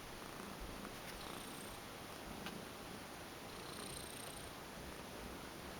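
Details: Female domestic cat, a former stray, relaxing limp during a massage indoors; a soft, steady, low rumbling purr runs without pause throughout, with faint brushing strokes of the massage now and then.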